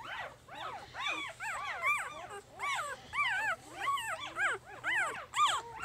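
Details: Female puppy number two of Jig's litter, three days old, crying steadily in rapid arched squeaks, about two per second, with loud peaks throughout and nothing else competing.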